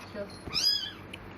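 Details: A single clear, high, rising-then-falling mew from a tiny eyes-closed kitten, one of four found on cloth in a cemetery at dusk, with a faint low murmur beforehand.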